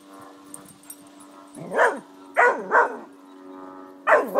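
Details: Irish Terrier attacking a birdfeeder that has fallen onto a lawn, giving short harsh barks and growly yelps in a cluster of four bursts over a few seconds, with a steady low hum underneath.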